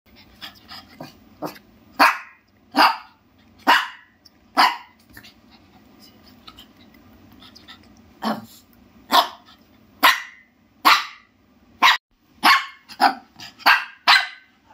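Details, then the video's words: Shih Tzu dog barking in sharp, bright yaps, single and in quick pairs, with a quieter pause in the middle before a faster run of barks near the end. "Shihtzu dog barking sound"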